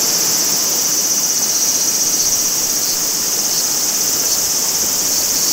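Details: Summer cicada chorus at Maruike Pond on Mt. Kirishima in Japan, a dense high-pitched buzzing hum that pulses rapidly and evenly, several beats per second, above a soft wash of running water.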